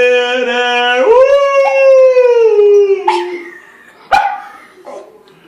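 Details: Schnauzer howling to the national anthem: a steady low note jumps upward into a drawn-out howl that gently falls away, with sharp clicks and short voiced fragments trailing after.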